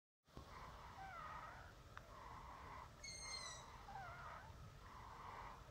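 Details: A baby European polecat at a campsite gives breathy, wheezing whines, roughly one each second, with a sharp high squeak partway through, over a steady low rumble.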